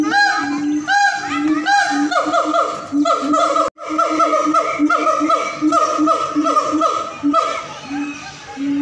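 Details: Siamangs (Symphalangus syndactylus) at a zoo in North Sumatra, Indonesia, howl in loud, honking, harmonic notes that swoop downward in rapid, rhythmic series.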